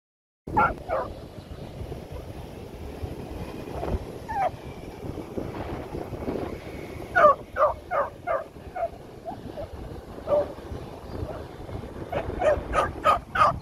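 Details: Female beagle barking during play at home, a series of short sharp yappy barks in clusters, most around the middle and end, over steady background hiss.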